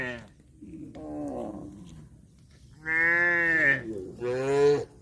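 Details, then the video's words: Cattle mooing: a faint low call early on, then two loud drawn-out moos, the first steady and rich, the second slightly rising, each lasting under a second. "COW SOUND"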